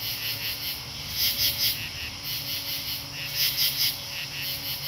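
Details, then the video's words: Summer katydid soundscape, Marlborough, Connecticut, August 8, 2011: shrill rasping pulse groups, mostly triplets, rising from a constant high-pitched insect drone, with a soft steady low hum underneath. "Katydid Soundscape - Marlborough, CT Aug 8 2011"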